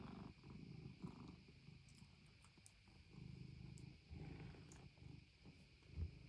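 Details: Norwegian Forest Cat purring indoors; soft low rumbling purr pulsing with each breath, faint steady background hum.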